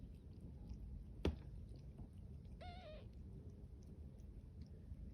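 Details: Five-day-old champagne cream tabby kitten, Magpie, among kittens yawning and playing: a sharp click, then one short, high, wavering mew lasting under half a second, over a steady low background rumble.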